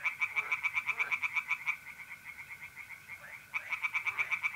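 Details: Pond tree frogs at night, mid-April, north-east Italy: a burst of fast pulsed croaks, a short quieter pause with only the mole cricket trill, then another rapid croaking series begins.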